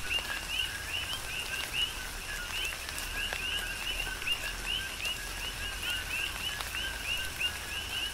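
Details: Several coqui frogs call in rain on the Big Island of Hawaii. Each gives a brief low note then a higher upward-sweeping note, and the calls overlap into a dense, rhythmic chorus. Steady rain and occasional heavier drops run throughout.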